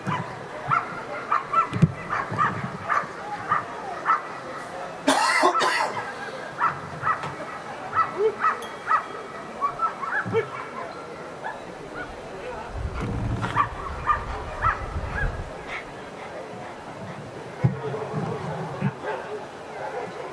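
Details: Ivar vom Falorie, a dog in protection work at the NIAK 2015 trial, barks in short bursts repeated about every second across the clip, with background noise and a loud thump near five seconds.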